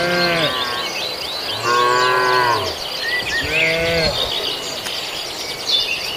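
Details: Cattle raiding villagers' green grass, beef and qurban cattle eating. Three drawn-out harmonic moos, each about half a second to a second long, separated by short pauses, with busy high bird chirping and twittering throughout.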